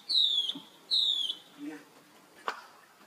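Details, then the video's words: Young monkey calling for help as his sister runs away: two clear, high, downward-sliding cries under half a second each, spaced about one second apart, followed by a soft low sound and a sharp click. "Rainbow Run Very Fast While Her Young Bro Call Helping it"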